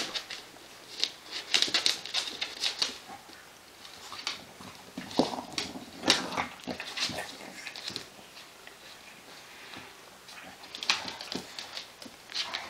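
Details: English Bulldog mother playing with her puppy on a play mat indoors: short snorting grunts and snuffles among scuffling, thumping and scratching bursts in a small room.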